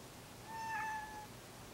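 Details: Kuri, a male cat neutered as an adult, calls while approaching his housemate Kinako as if she were female; a single drawn-out tonal meow of about three-quarters of a second, level then slightly falling, in a quiet indoor room.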